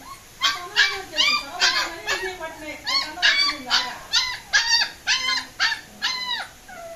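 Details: German Shepherd puppies escaping, yelping and whining in a rapid, uneven series of short arched cries, roughly two or three each second, over a faint high steady hum.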